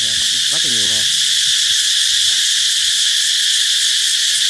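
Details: Cicadas fill the air with a steady, shrill, high-pitched buzzing drone, heralding the coming of summer.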